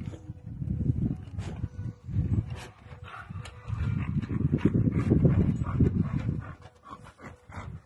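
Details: American Bully and Bullmastiff dogs producing long, deep, rumbling growls that swell and fade in several drawn-out bouts, with short breathy pauses between them.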